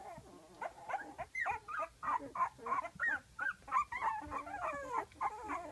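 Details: A litter of 12-day-old pups, eyes opening, wanting their mother just outside the whelping box; muffled rapid whimpers and squeaks, several per second, over a hissy background.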